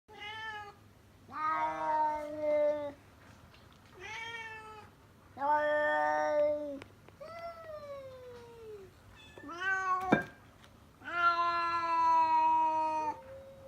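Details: Stray tabby cat outside a house, heard from indoors, calling in a series of long harmonic meows, some level and drawn out, others falling in pitch, separated by short pauses; a brief sharp click midway.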